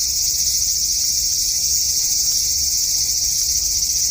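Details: Cicada in a front-yard cherry tree on a hot August evening in 2012, producing a relentless high, sizzling whine at even volume, with faint ticks in the background.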